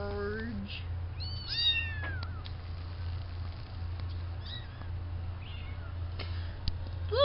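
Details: Young farm kittens at the fluffball stage meow twice early on: a short high mew followed by a longer, bending call. Quieter stretches follow with faint mews, a human voice and a constant low hum.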